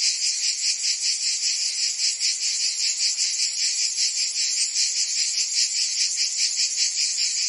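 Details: In the Provence summer of France, singing cicadas make a sustained high-pitched rasping buzz that swells and fades rhythmically about twice each second, steady and unbroken throughout.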